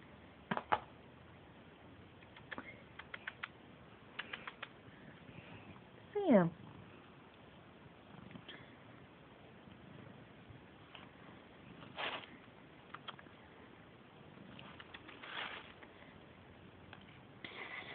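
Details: Pet Siamese cat Sam, called repeatedly by name and ignoring the calls, lets out one strong, falling meow partway through, amid scattered clicks, soft thumps and quiet indoor background.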